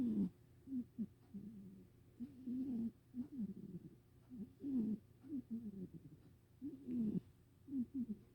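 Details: Rescued pet cat snoring in a small room, a steady run of short, low, whistly nasal snores that rise and dip in pitch, grouped in twos and threes with brief pauses between breaths.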